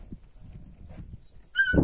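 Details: Purebred Kangal puppies, growing up; after low rustling and handling noise, one short, loud, high-pitched whining yelp rises sharply with bright overtones near the end, followed by a man laughing and praising in Turkish.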